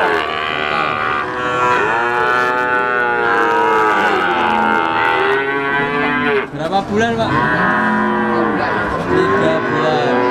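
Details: Calves of Simmental, Limousin and Pegon type, three months old and offered for sale, bawl almost without pause, several overlapping wavering moos that rise and sag, with a brief clatter midway.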